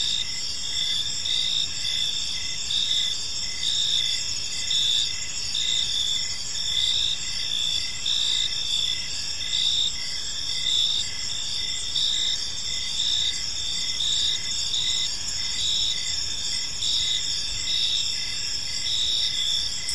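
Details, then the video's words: In a park as evening falls, crickets keep up an unbroken high-pitched chorus, bright trills stacked at several pitches with rapid pulsing chirps and faint low background rumble. "Cricket Sounds in a Peaceful Park"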